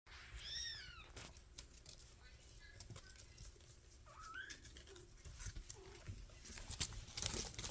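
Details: Five-week-old kittens of the mother cat Mashka, kept indoors, give a few high arching mewing calls near the start and a rising mew around four seconds, amid soft shuffling and clicking noises in a small room.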